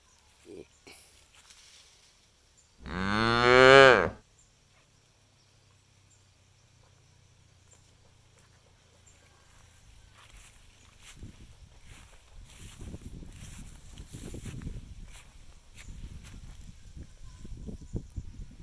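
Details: Cow let loose to graze freely in an empty rice field, kept in the traditional way; one loud, harmonic moo lasting about a second, followed by quieter rustling and munching sounds.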